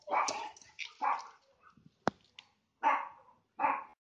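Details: Labrador and Rottweiler greet the neighbouring Beagle and Lhasa Apso through a fence. A burst of harsh barks, a sharp knock or click, then two more loud barks at an uneven pace.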